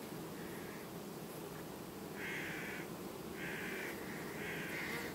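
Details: Honey bees of a colony calmly replacing its queen, recorded 18 August 2019; a continuous low humming drone runs throughout, overlaid by three or four short, higher, tonal bursts of about half a second each.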